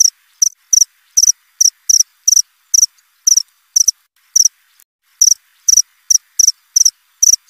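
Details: Continuous cricket chirping, bright high trilled pulses in quick succession, about two per second, with a brief lull near the middle and no other noises.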